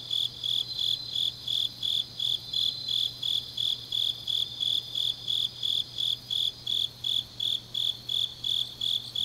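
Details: Grass insects singing deep into an autumn night in Changnyeong, Korea; bright pulsed chirps repeat steadily about three times a second beneath a soft high trill, with a low hum in the background.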